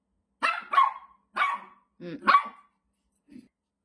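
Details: Irritated Shih Tzu reacting to a whistle sound with a run of five sharp, rough barks spaced irregularly, the last one soft and short, in a quiet room.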